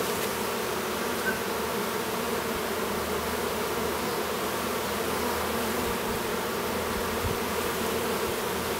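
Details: Even hum of honey bees near Duluth, Minnesota, recorded while a young drone chews through his cell; a steady, deep, continuous buzz with a faint brief tap near the start and a soft bump late on.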